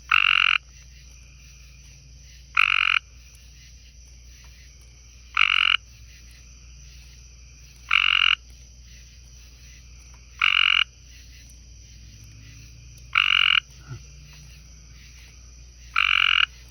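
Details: Light green tree frogs on a porch beside a garden pond, thought to be a male and a female, give loud, harsh, half-second calls, repeated roughly every two and a half seconds.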